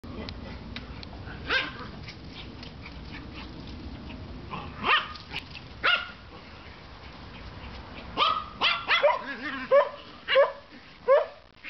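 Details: Pet dogs barking indoors: scattered sharp barks early, then a quick run of about eight short, mid-pitched barks in the final four seconds, with faint background voices.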